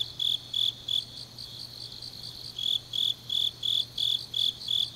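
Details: Autumn grass insects at night in Changnyeong, Korea, singing high pulsed chirps in short bursts; the rhythm breaks off for about a second and a half, then resumes at roughly three pulses per second over a faint hum.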